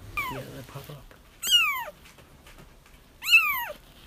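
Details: Crying kittens, for trapping a feral mother: two sharp, high meows bending downward, a second and a half apart, after a brief lower, rougher sound at the start.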